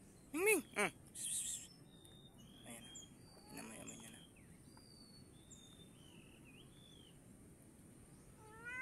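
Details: Domestic cat near a snake it had caught; two short, loud rising-falling meows right at the start, then faint thin whistled bird chirps and low background noise.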